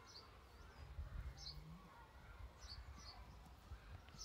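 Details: Honey bees outside a beehive in Cornwall make a low, steady droning hum, with brief high bird chirps in the background.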